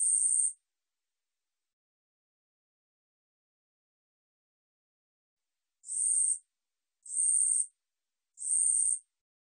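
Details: Katydid song, 우리여치, from the National Institute of Biological Resources 2020: one high buzzy burst, a five-second pause, then three more short raspy buzzes spaced about a second apart, in an otherwise silent background.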